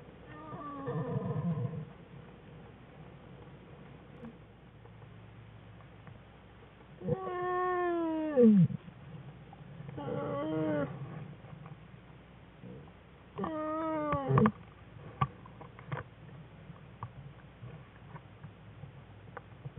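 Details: Wild American black bear cubs in the den with their mother in February 2013, playing and crying loudly; three strong bursts of harmonic crying, each climbing and then sliding steeply down, spaced several seconds apart, with softer whimpers between.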